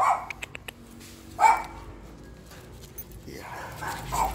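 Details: Jack Russell Terriers Siomai and Shanghai out on a walk with a new leash, December 12, 2020: a short sharp bark, a louder yelp a second later, then a quick pair of barks near the end, over soft background music.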